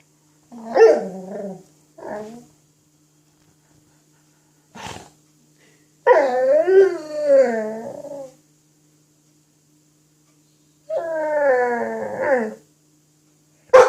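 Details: Cruz the dog playing with an apple indoors: a few short barks and yips, then two long, drawn-out growling grumbles with wavering, rising and falling pitch, each lasting about two seconds, in a quiet room.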